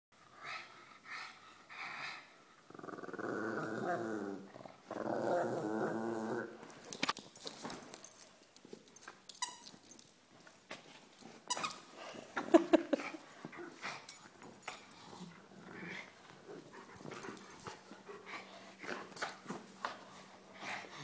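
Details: An indoor pug playing tug of war makes noises whenever a shepherd dog comes near her. A raspy, rumbling growl runs for several seconds, followed by snorts, scuffling and rattling play sounds.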